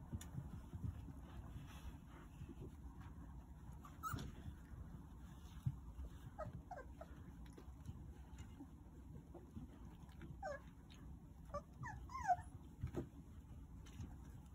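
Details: Nine Jindo puppies, at the age when their teeth have all come in, nurse from their mother Sarang-i. Faint, short high squeaks and whimpers come in scattered bursts from the middle onward, over a steady low rumble.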